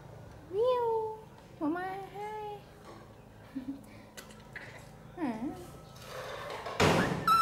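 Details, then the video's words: Infant monkey Poy, an orphan rescued by villagers from the jungle edge, cries angrily while being bathed: arched, tonal wails in short bursts, mixed with people talking indoors and a sharp splash-like burst near the end. "Monkey Baby Poy Crying Angry MaMa Bathed"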